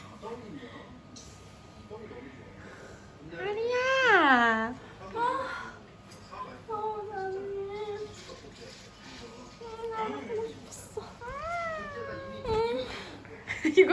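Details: A cat reunited with its owner after three days lets out a long wailing meow that rises and then falls. Shorter, level meows follow, then another arching cry near the end, in a small indoor room.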